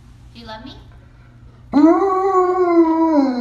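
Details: Siberian Husky howling: after a faint short whine, a loud sustained harmonic howl sets in and holds a steady, slightly wavering pitch for about one and a half seconds without breaking.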